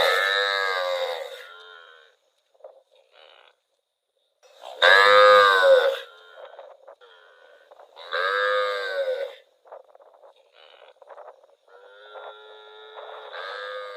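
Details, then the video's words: A cow wandering in rural rice fields moos repeatedly, with loud, rich calls spaced a few seconds apart and faint clicks and quieter tones between them. "Cute cow wandering in rural rice fields - Funny cow sound"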